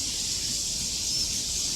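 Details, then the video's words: Crickets calling in large numbers in the forested hillside near Treasure Hill Temple, Taipei, Taiwan. They form a continuous shrill hiss-like drone, even in loudness from start to end, over a soft low background rumble. "আর প্রচুর ঝিজি পোকা ডাকছে। ঝিজি পোকার ডাক শোনা যাচ্ছে।"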